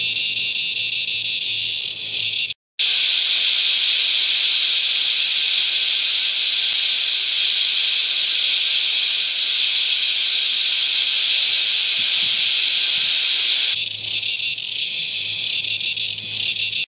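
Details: Wild cicadas by the millions at Never Never Creek, Promised Land, NSW, or Mt Tamborine, Queensland, Australia, in their natural environment: a steady, intense high-pitched screech that holds for about eleven seconds, with softer insect buzzing before and after.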